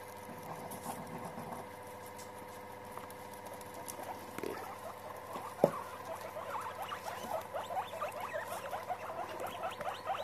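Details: Guinea pigs meeting and getting together: a quiet start, one sharp click, then from about six seconds a busy run of short, rising squeaky chirps overlapping one another above a steady low electrical hum.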